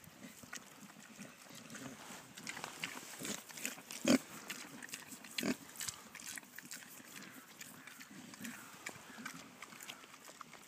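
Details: Nine-week-old Pietrain weaner piglets eating food on a sunny afternoon at a farm in Carmarthenshire, South Wales; low grunts and snuffling with scattered crunching and clattering knocks, two louder bangs near the middle.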